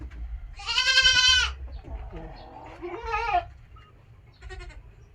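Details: Domestic goats kept by a farmer: a loud, wavering, strongly harmonic bleat lasting almost a second, followed by a shorter second bleat and a faint third, over low rumbling background noise.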